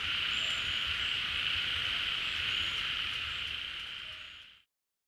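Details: Many frogs gathered at a rain-filled pond, calling together after coming out of hibernation; a dense high droning chorus with faint whistles that fades out abruptly near the end, followed by silence.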